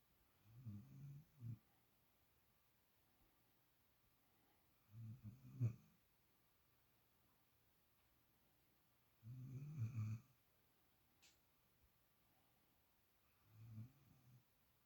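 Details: Pet puppy asleep in a borrowed favourite spot, snoring steadily: four low, rough snores, each about a second long, spaced roughly four seconds apart in a quiet room.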